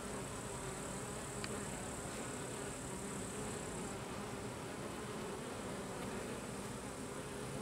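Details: Carniolan honey bees (Apis mellifera carnica), workers expelling drones from the hive; a steady, dense droning hum with layered low harmonics runs unbroken throughout, with a faint thin high tone in the first half.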